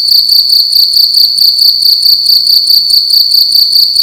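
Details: Loud cricket indoors at night in a room, giving a piercing high trill broken into quick regular pulses, roughly two per second, over a faint low background hum.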